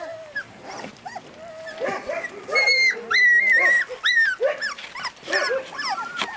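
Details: Husky puppies from Lapland whining and yipping, long drawn high whines mixed with quick rising and falling yips, growing busier midway, multiple pups overlapping.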